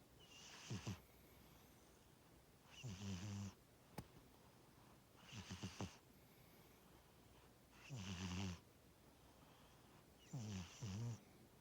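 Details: Sleeping pet cat Tora snores steadily, each breath a hissing inhale or a deeper buzzing rumble, roughly five breaths in under twelve seconds, with a faint click partway through and otherwise calm room quiet.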